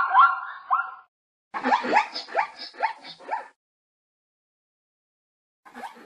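A zebra gives a run of sharp, barking yelps, each rising quickly in pitch.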